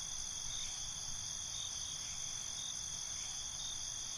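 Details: Cricket chorus at night, an unbroken high-pitched ringing trill in stacked bands with no distinct separate chirps, steady in loudness throughout, over a low background hiss.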